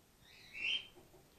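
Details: Grey-headed flying-fox pup Gwickle, a female in care on her second day, bottle support fed after her mother was concussed in an empty swimming pool; one short, high, thin squeak near the middle, faint background otherwise quiet.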